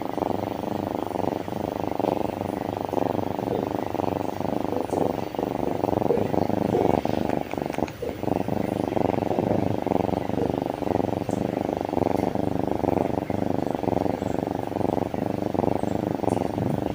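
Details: Steady, unbroken purring of a happy kitten, a low throbbing rumble pulsing rapidly and evenly throughout, with a faint click or two.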